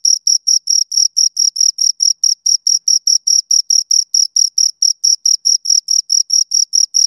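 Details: A pair of crickets giving a long, even series of high ringing chirps, evenly spaced about seven per second for the whole stretch, clean and loud against silence.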